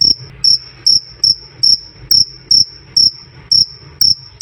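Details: Cricket giving loud, clear krik-krik chirps, slower and less regular here, about two per second, each a piercing high pulsed note separated by brief gaps, over a faint low rumble.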